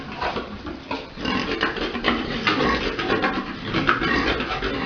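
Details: Farm pigs during breeding, a large boar mounting a sow: a continuous run of harsh, breathy grunting and squealing noise, rising and falling in loudness, with thumping movement sounds.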